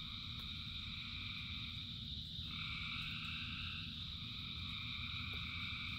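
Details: A mass of frogs calling in the rain forms a seamless ringing chorus, one voice dropping in pitch midway, set against a soft, steady patter of rain.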